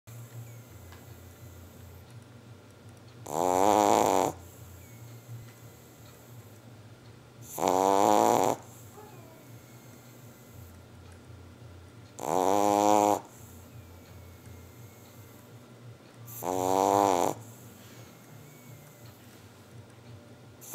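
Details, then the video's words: A Boston Terrier named Titi snoring indoors: four loud, rattling snores with a buzzy, ribbed tone, evenly spaced about every four and a half seconds, separated by quiet breathing and a steady low hum. "Boston terrier qui ronfle"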